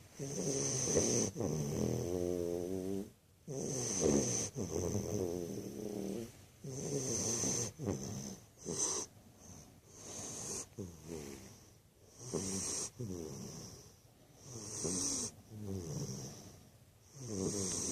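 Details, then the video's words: American Bulldog puppy sound asleep, snoring steadily through repeated rough, fluttering breaths about every one to two seconds, some louder and wheezier, with a constant high electrical whine throughout. "American bulldog puppy snoring"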